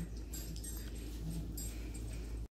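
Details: Lady, a pet Chihuahua, growls while playing in a feisty mood indoors: a low, steady rumbling growl with brief stronger swells, over a constant low background hum.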